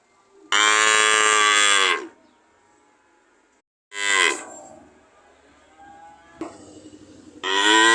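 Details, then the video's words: Repeated cow mooing: a long loud bellow, a shorter moo trailing off, a faint murmur, then another strong moo starting at the close. "Sound of cow"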